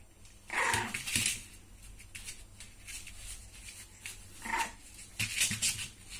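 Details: One-month-old French Bulldog puppy Arsène Lupin in a little fight with his mother Holly indoors: short high yelps and whines in bursts near the start and end, with scuffling and rustling between.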